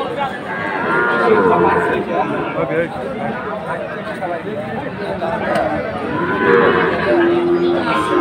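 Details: Sahiwal breed bull at a cattle market in Faridpur, Bangladesh, recorded 1 June 2024. Low lowing moos swell early and again near the end, with a busy crowd murmuring throughout.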